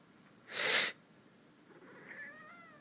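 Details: Kitten indoors reacting to its owner sniffing during a cold: a sharp, loud sniff, then after a pause a soft, drawn-out meow that rises slightly and levels off, quiet against faint room noise.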